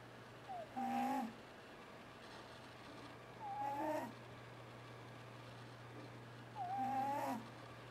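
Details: Sleeping pet cat, twitching as he dreams, snoring loudly: three drawn-out rasping snores with a whistling overtone, one roughly every three seconds, with quiet pauses between them. A steady low electrical hum runs underneath.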